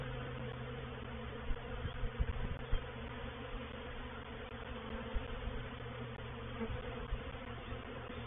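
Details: Reproductive swarm of honey bees moving into a bait hive at Painted Peacock Manor on 04/07/21; dense steady low buzzing hum with a band near the low mids, occasional louder passes of individual bees close by.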